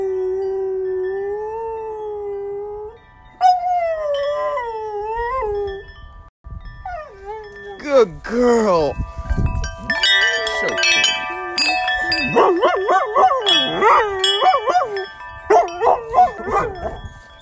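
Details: A female dog sings along to wind chimes, holding long, steady, mid-pitched howls that wobble, rise and fall, then turn into quick, wavering yodels among ringing chime tones, with a person praising her.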